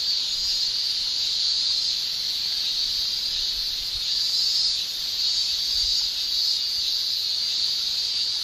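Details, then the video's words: Cicadas in a Japanese summer, the males singing with their tymbals: a steady, dense, high shrill drone that holds without a break and swells slightly in waves every couple of seconds, with no other clear sounds. "Japan Summer Cicada Shrilling"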